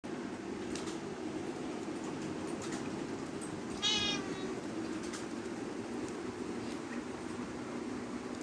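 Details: A single short cat meow, bright and harmonic with a slight wavering pitch, sounds about halfway through over a steady low hum and a few faint clicks.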